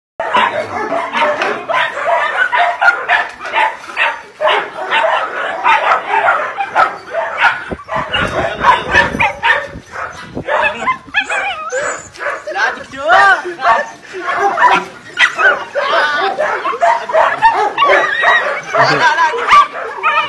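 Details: Belgian Shepherd puppies, seen while a puppy is being chosen, fill the air with dense, overlapping high yips and sharp barks that continue for about twenty seconds, with people's voices mixed in.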